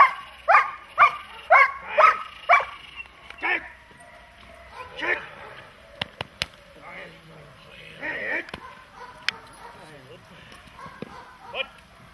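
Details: Dog, German Shepherd or Malinois, in protection training, giving a run of five sharp barks about every half second, then scattered yelps, clicks and handling noises as the barking fades.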